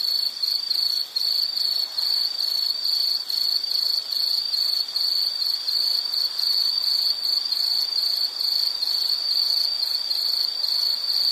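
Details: Continuous high-pitched insect trill, rapid pulses packed into a steady shrill ring with slight rhythmic wavering in loudness, set against soft broadband hiss.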